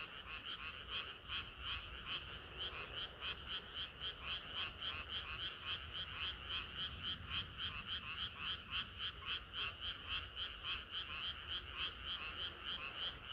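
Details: A summer-night frog chorus that never lets up. Rapid, rattling croaks pulse about three to four times per second, many voices layered into a continuous throbbing wall of sound.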